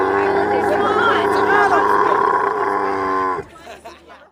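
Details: Camel moaning loudly in a steady, richly layered tone for over three seconds with slight wavering in pitch, ending abruptly and fading into quieter rough rumbling.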